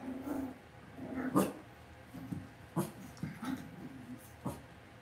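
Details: Cavalier King Charles Spaniel puppies raised indoors in a home puppy pen, making low, short whimpering and grumbling growls in scattered bursts, with soft clicks and rustling from the pen between them.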